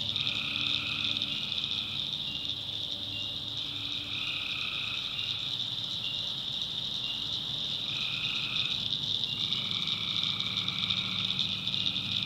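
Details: Tree frogs calling at night in a swamp in the backwoods of North Carolina: a dense, steady high-pitched chorus, with lower paired tones that switch on and off in stretches of a few seconds, over a faint low rumble.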